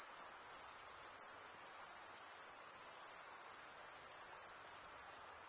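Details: Crickets chirping in a dense, even high-pitched trill that runs on without breaks, a shimmering insect drone with faint low hiss.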